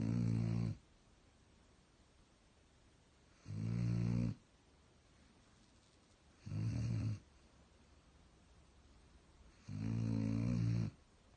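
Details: German Shepherd sleeping and snoring steadily: four deep, rasping snores each lasting under a second, spaced roughly three seconds apart, with a near-silent indoor background between them.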